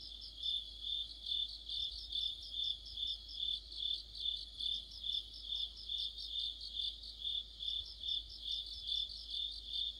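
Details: Mid-autumn cricket chorus joined by other insects under a streetlight, a bright sustained trill throbbing rhythmically around twice a second for the whole stretch, with nothing else clearly heard.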